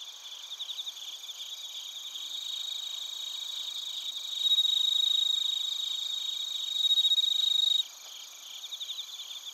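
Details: Chiba Prefecture, Japan: bell crickets and other crickets chirping in Narita, recorded with a TASCAM Portacapture X8. A near insect gives a loud, sustained pure trill mid-clip that stops abruptly, then softer pulsed chirps from the surrounding chorus resume.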